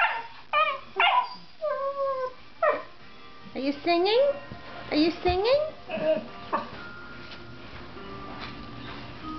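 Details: Playing Mastiff and Labrador dogs said to sound as if singing to each other: sharp yips and bent, sliding whine notes in quick bursts for about seven seconds, then fading to faint tones, with a person speaking in the background.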